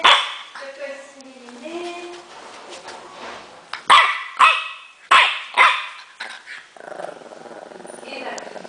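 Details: Natron the French Bulldog, angry, opens amid a human voice and wavering tones, then fires off a tight series of five or six harsh barks before steady background noise takes over.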